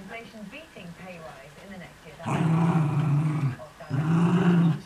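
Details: During early morning tug and chase play between two Miniature Schnauzers, one a new puppy, television talk is heard first, then two long, loud, rumbling growls take over.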